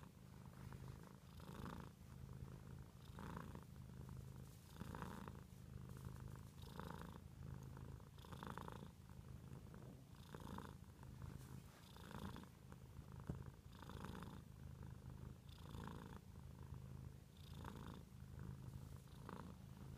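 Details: House cat purring without pause, a deep vibrating drone pulsing in steady cycles of roughly 1.7 seconds as it breathes in and out, in a quiet indoor setting.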